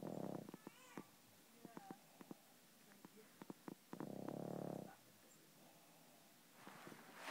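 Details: Sleeping pug snoring: two low, buzzing rasps about four seconds apart, each lasting under a second, with scattered soft clicks and snuffles between them.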